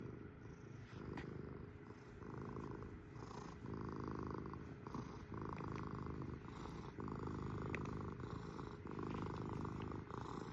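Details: Domestic kitty cat purring close up indoors: a continuous low rumbling purr with pulsing breath cycles, steady throughout, a few faint clicks above.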